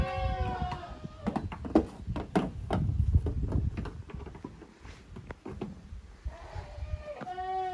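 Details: Goat kids from two groups, the young of Koharu and of Okayu, playing together in the exercise yard of a handmade goat farm in Japan on 13 June 2023; a harmonic bleat opens the clip and another closes it, with thumps and scuffling between.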